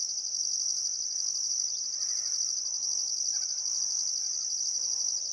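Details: Australian crickets at sunset by the Barcoo River in Welford National Park, Outback Queensland, still summer afternoon; an unbroken piercing drone topped by a rhythmically pulsing higher trill, with faint birds in the background.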